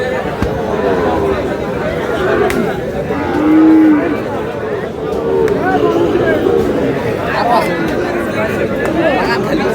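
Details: Small bull calves for sale at a Comilla market in Bangladesh, 10 June: one low, drawn-out moo swells midway and fainter lowing follows, set against a noisy crowd of bargaining men and market bustle.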